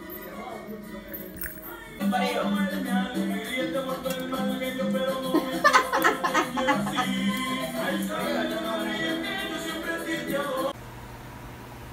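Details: Latin-style music with maracas, tambourine and steady percussion fills most of the stretch, beginning after a quieter opening and cutting to a low hum near the end; no animal voice is heard.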